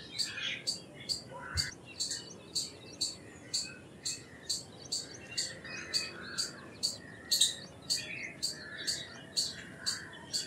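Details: Repeated high, dry chips from an Indian palm squirrel, evenly spaced about two per second throughout, over a background of mixed bird chirps and whistles.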